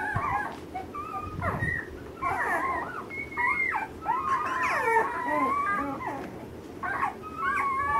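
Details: Ten-day-old Alaskan Malamute pups of the 2013 Mystique/Alpine litter give squeaky, bending whimpers and short yelps in bursts, several voices overlapping, over a low rustling background.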